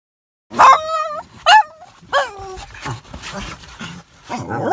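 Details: Two Labrador Retrievers throwing a loud fit on seeing a puppy: high, tonal whining yelps that rise and then fall, three sharp bursts in the first two seconds, followed by fainter whimpers and a voice near the end.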